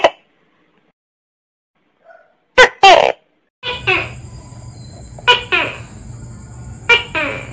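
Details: Tokay gecko (Gekko gecko), active at dusk and dawn, with two loud sharp clicks after near silence, then repeated paired calls, a short bark followed by a drawn-out falling note, over a faint rumble and high steady whine.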